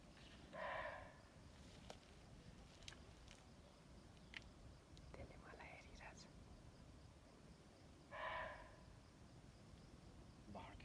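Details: A deer in the jungle, said to be suffering, gives two short, harsh, nasal cries about seven seconds apart, amid faint rustles and clicks.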